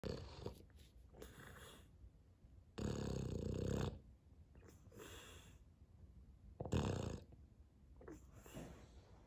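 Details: Sully, a pet Boston Terrier indoors, pouting and crying because he isn't the centre of attention while his owner drinks coffee; breathy, snorting bursts of about a second, the loudest near three and seven seconds, between quieter snuffles.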